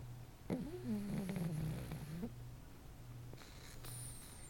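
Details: Snoring pug: a single drawn-out, whistly nasal tone sliding slowly downward for nearly two seconds, then quiet breathing with a steady low hum in the room.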